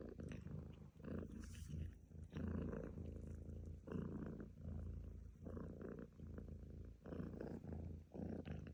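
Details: Domestic cat purring steadily in low rumbling pulses, breath cycles roughly every second with brief pauses between inhale and exhale phases, close and continuous.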